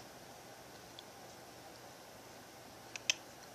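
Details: Quiet indoor room hiss is broken only by a few faint, sharp clicks near the end, with no animal voice.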